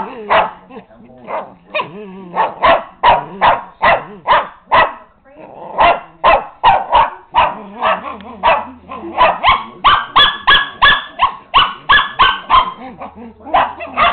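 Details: Agitated pet dog, upset by a person teasing it, barking continuously in fast irregular bursts, nearly three per second, some barks higher and strained; a low hum in places.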